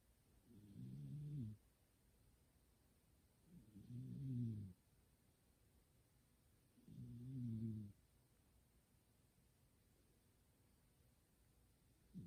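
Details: A house cat in deep sleep gives loud, humanlike snores, described as "goo-goo": three rasping low snores at steady intervals of about three seconds, each swelling then fading, in a quiet room.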